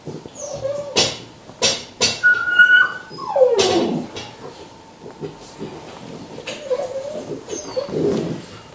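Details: Five-week-old Labrador Retriever puppies, litter Q6, indoors: thin, high whining whimpers, some sliding and wavering in pitch, come in short bursts between sharp clatters and knocks, with a steady faint hum underneath.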